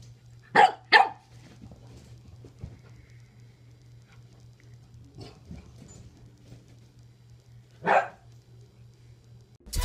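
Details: Adult French Bulldog and puppy playing through a kennel for the first time: two quick sharp barks close together, a long quiet gap with faint rustling, then a single louder bark.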